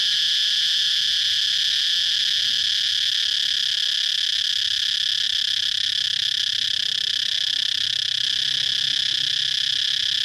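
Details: Cicada song: a loud, unbroken, high-pitched droning buzz that holds steady for the full ten seconds, with only a faint low rumble underneath.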